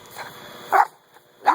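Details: Dog named Buddy playing frisbee gives two short sharp barks about three quarters of a second apart, with faint background hum.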